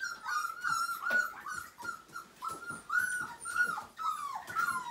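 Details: Siberian Husky puppy, five weeks old, whining through its first bath as its wet fur leaves it cold; high, wavering whimpers come in quick succession, some with a sharp upward bend, over a faint background of water and handling.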